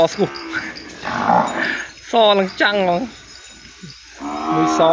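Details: Calf bawling for its mother after being separated from her in the cattle pen; several harmonic, wavering moos, the longest near the end, rising then falling, with quiet gaps between.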